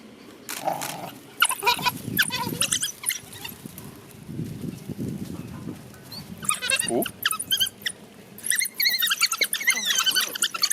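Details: African wild dogs from a playing pack exploring a game-drive vehicle and chewing its tire give loud, high, harmonic squeals and chittering twitters in clustered bursts, with low vehicle rumble and brief human voices between them.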